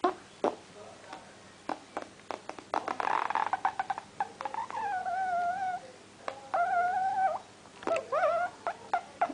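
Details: Wheaten terrier named Bosse making a weird noise indoors: drawn-out wavering whines, some level and some rising and bending, broken by short sharp clicks and snuffles, with a burst of breathy sound early on.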